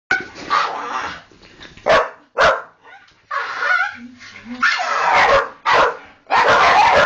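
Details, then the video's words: Pet Staffordshire Bull Terriers "talking" to their owner: a run of loud, breathy grumbling barks and moaning bursts, about seven in all, some long and drawn out, with quieter murmuring sounds in the gaps between them. "Talking Staffies"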